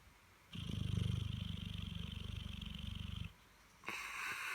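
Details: Sleeping Dogue de Bordeaux named Holly, resting after a busy bank holiday weekend. A deep, throbbing snore of fast low pulses lasts nearly three seconds, followed by a pause and the start of a breathy hiss.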